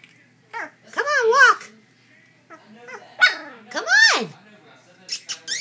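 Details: Chow Chow puppies almost three weeks old, two awake and up walking while littermates sleep indoors; a few high arched whimpers rising then falling, separated by quiet gaps, with a woman's voice coaxing them softly.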